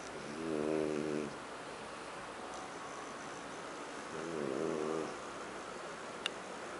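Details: French bulldog Huck dozing on the sofa at home, snoring twice about three and a half seconds apart with buzzy, wavering harmonic tones; a brief faint click near the end.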